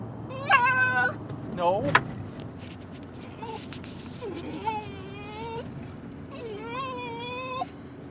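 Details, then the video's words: Male Basenji riding in a car, making varied noises to ask for a bathroom break: several short wavering, rising-and-falling whines and yodel-like cries, with road noise and a person's voice. "Basenji Talking During Car Ride"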